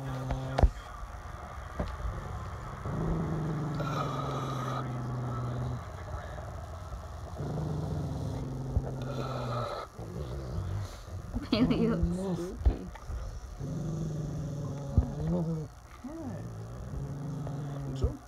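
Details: Deep growling from mastiff and shepherd dogs comes in long low rumbles of two to three seconds, separated by short pauses, with brief higher whining, yelp-like sweeps in the latter half and some handling noise.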